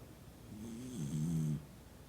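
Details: Noa, a Toy Poodle, sleeps soundly surrounded by family indoors, giving a single low, rumbling snore of about one second that swells and then stops abruptly, with a faint high hiss on the breath.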